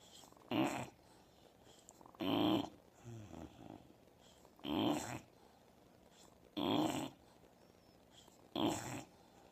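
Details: An Old English Bulldog asleep and snoring steadily: five gravelly, noisy snores arriving roughly every two seconds, with fainter fluttering exhalations in between, in a quiet indoor room.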